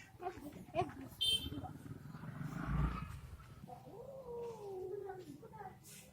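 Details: Female cat meeting a male cat for the first time, the two fighting and hissing at each other; a drawn-out, wavering, moaning yowl sounds in the second half, preceded by human voices and clattering noises.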